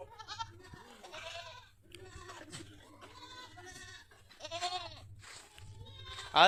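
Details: Farm goats in Pushkar, Ajmer, Rajasthan, India give scattered quavering bleats, one long wavering cry standing out midway, amid human voices, a low hum and a sharp loud burst at the end.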